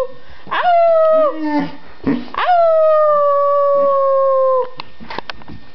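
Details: Dogs howl along with people, with a short rising yelp that swells into a long, level, held tone lasting about two seconds, then scattered yips and quieter sounds.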